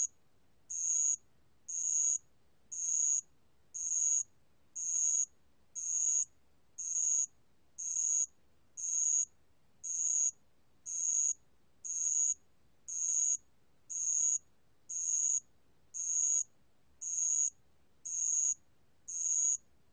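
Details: Bell cricket song from a 2020 National Institute of Biological Resources recording: high, bright chirp bursts about half a second long, repeated steadily once every second throughout, with no other sounds.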